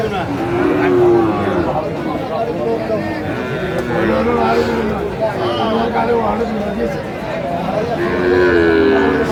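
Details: Sahiwal bull calves at a busy cattle market in Kurigram, Bangladesh, 16 March 2025: low, drawn-out moos with arching harmonics, several overlapping, over steady crowd chatter and background music.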